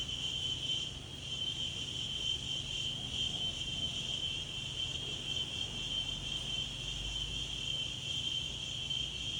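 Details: Insects in daytime outdoor nature ambience: a steady, unbroken high-pitched shrill drone runs through the whole recording, with a soft low rumble of wind underneath.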